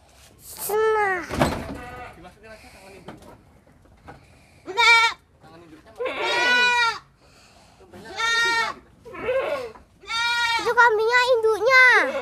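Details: Little goat evading capture during play, calling with bright, wavering bleats that bend up and down in pitch, mixed with speech and rustling handling noise.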